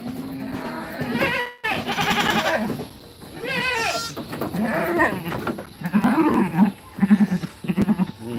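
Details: Young goat kids in a pen, while being fed and played with, bleat repeatedly, their quavering, nasal cries overlapping noisily.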